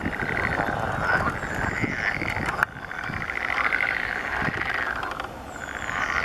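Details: Mating water frogs calling together, repeated grating trills of rapid pulses in swelling waves, a sharp knock near the middle and faint high bird notes.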